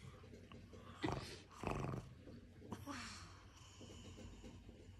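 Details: Pug, a six-year-old female pet dog indoors, guarding a cushion, gives rough snorting, growly breaths in two short bursts, then a fainter rasping huff; low background hum throughout.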